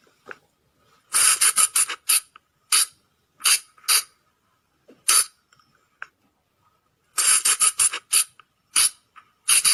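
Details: Forest call of a flying lemur, known locally as บ่าง or พะจง and played at night to lure the animals: clustered piercing squeaks in quick runs, a pause of silence, then another dense burst of shrill notes.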